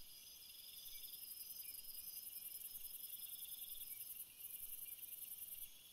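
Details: Crickets at night producing a loud, very high, rapidly pulsed trill that runs almost continuously, over softer lower bands of steady insect buzzing.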